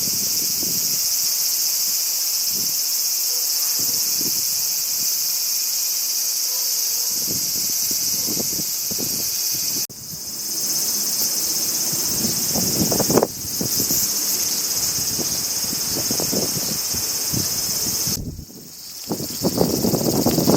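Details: Summer crickets in Japan keep up a continuous high, ringing trill that briefly cuts out three times, while wind and rustling foliage come and go in low gusts throughout.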